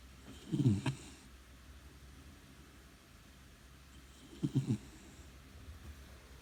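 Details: Brown Labrador Retriever puppy, four months old, snoring loudly while asleep: two low, rumbling snores about four seconds apart, each a short rattling burst, with quiet breathing between.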